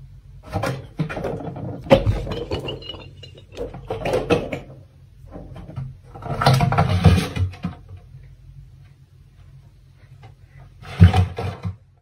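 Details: Floppa Malya, a female caracal born in October 2018, growling: irregular raspy, breathy growls and hiss-like bursts come in uneven waves over a steady low hum, with a louder rough outburst near the end.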